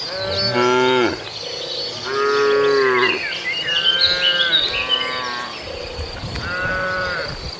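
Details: Tame cattle herd roaming a field on the way to the pen, grazing; four drawn-out harmonic moos, each about a second long, separated by short pauses, with bird chirps and twitters throughout.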